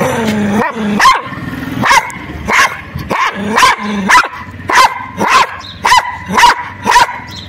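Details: White dog tied on a public road, attacking whenever approached: a steady series of sharp, loud barks, close to two per second, broken by brief growling.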